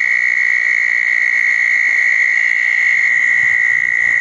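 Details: A southern toad trilling at a small pond on a wet night after a thunderstorm, June 10, 2014. The call is one unbroken, even, high musical trill that runs through the whole stretch, with no pauses.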